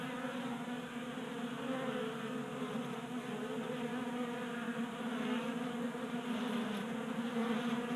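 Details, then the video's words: Honey bees feeding at a 3D printed tabletop bee feeder in a garage in Colorado during a warm January spell; a dense steady buzzing hum of many wingbeats, layered tones drifting slightly in pitch, continuous throughout. "45 Minutes of Honey Bees Feasting from 3D Printed Bee Feeder ASMR"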